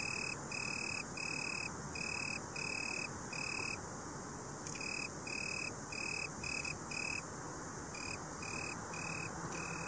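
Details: Italian tree cricket (Oecanthus pellucens) calling: clear, pure-toned trilled bursts about half a second long, repeated steadily with short gaps and a brief pause midway, over a low steady hiss.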